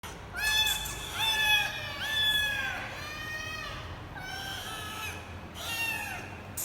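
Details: Three rescued kittens in Vietnam, said to be happy before adoption, meow loudly in overlapping, high, thin cries that rise briefly and then fall.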